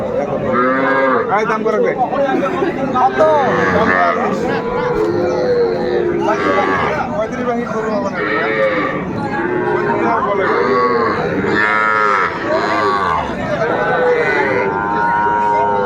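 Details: Sahiwal bull calves at Ambari cattle market, Bangladesh, on 18 May 2024, where a farmer from Barishal is buying. Repeated, overlapping, drawn-out lowing moos from several animals fill the clip over steady crowd chatter and bargaining voices.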